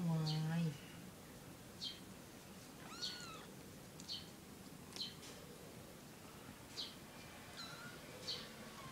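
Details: Three kittens with their mother while drinking milk: after a brief human voice, short faint high mews recur about once a second in a quiet room.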